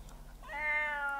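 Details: Domestic cat giving one drawn-out, steady meow with a clear tonal quality, rising slightly at the start and then held; a person speaks just before it.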